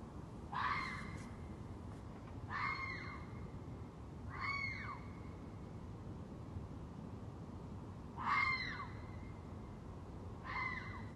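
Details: Red fox (Vulpes vulpes) screaming at night, likely a mating-season call: harsh, wailing screams, each under a second, repeated every two to four seconds.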